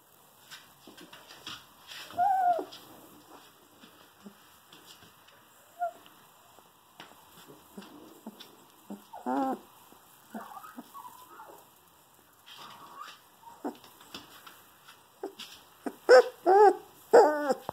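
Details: Female wolf hybrid dog puppy, two weeks old, nicknamed Feelings, full of emotion: scattered soft whimpers and small squeaks, then louder wavering whines and yelps clustered toward the end, with quiet shuffling noises between.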